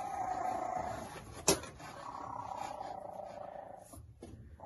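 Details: Cheetah cubs, three weeks old, one of five siblings huddling on hay, purr in a continuous even hum. A single sharp click cuts in partway through.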